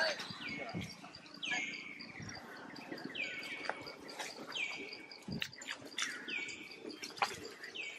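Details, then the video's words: Tiny young monkey crying to call its mother for help: high, thin whistled cries that start sharp, slide downward and then hold level, repeating about once a second, over a faint steady ticking tone and light background noise. "One Crying call mom to come and help it"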